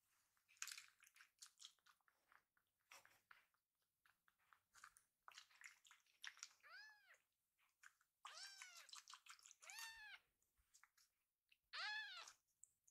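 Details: Rescued kitten Pochamaru, belly full after a meal, rolling on his back while being tickled; several short arched meows near the end, between bursts of rustling and clicking handling noises indoors.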